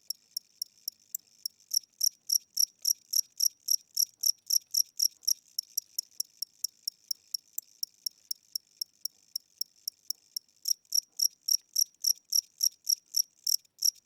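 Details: Slow nighttime chirping from an aging cricket in a house, its wing strokes weaker than before: bright high pulses about three to four per second, fading softer in the middle stretch, then loud again near the end.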